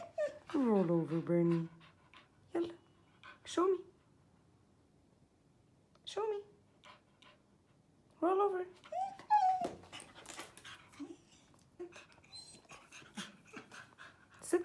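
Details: A beagle during a basic training session begs for a treat with wavering, yodel-like whines and moans while a person gives sit, down and roll-over commands.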